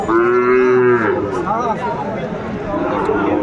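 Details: Sahiwal bull calf at Aftabganj cattle market, Brahmanbaria, Bangladesh, on 7 May 2024, giving one loud, steady, harmonic-rich moo lasting about a second, followed by crowd chatter and market noise.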